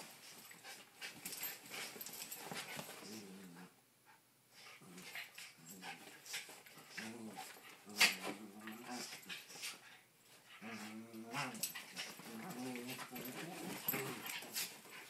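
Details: Honey, an 8-year-old cairn terrier, and Danny, an 18-month-old terrier mix, play-fight bitey-face on a living-room couch; low wavering growls come in bursts separated by short quiet pauses, mixed with scuffling, snapping and panting.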